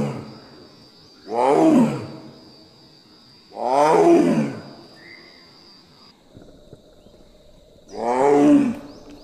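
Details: Female Royal Bengal tiger in Kaziranga National Park calling for a mate: three deep, groaning roars, each about a second long, spaced roughly every two to four seconds, with a steady high whine underneath.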